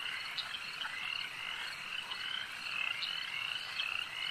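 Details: Lakeside frog chorus, a thick wall of high-pitched trilling from many frogs at once, with a few louder pulsed notes rising above the steady shimmer.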